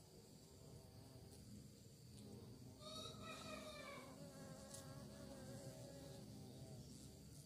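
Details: Bee looking for prey passes close: its buzz swells into a loud, wavering hum with bright overtones around the middle, then fades to a softer drone.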